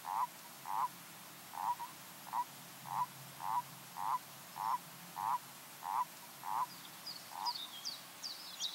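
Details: Common toad (Bufo bufo) recorded in 2014 gives a steady run of about twelve short, mid-pitched croaks, roughly one every 0.6 seconds. High, thin bird chirps enter near the end.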